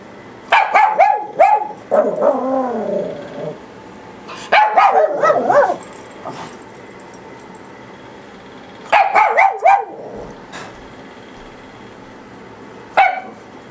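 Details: Two papillon dogs barking at home: bursts of sharp, high yapping barks with some whiny drawn-out yelps, in clusters around one, two, five and nine seconds, then a single bark near the end, quiet pauses between.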